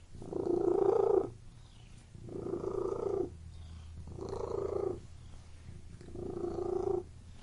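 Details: A purring cat makes four steady, throaty buzzing bursts, roughly one every two seconds. The first burst is the loudest.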